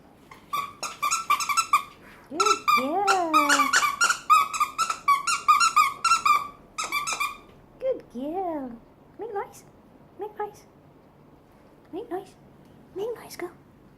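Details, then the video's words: Female French bulldog making noise on command indoors: rapid strings of squeaky whines, then bending, rising-and-falling yelping cries with gaps, mixed with a person's praise and talk about a toy in a small room. "French Bulldog; Neptune making noise"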